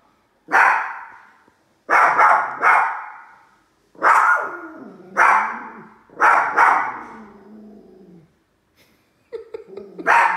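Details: Two little dogs barking at a large toy while another dog, Bruce, stays nearby; about seven sharp, loud barks in bursts, some doubled, spread over ten seconds, with a person's apology at the end.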